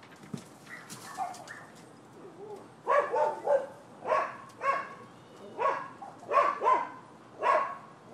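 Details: Neighbors' dogs barking in Florida on 12/7/15: after faint scattered sounds, a steady run of repeated barks starts near three seconds, roughly one or two each second, some in quick doubles.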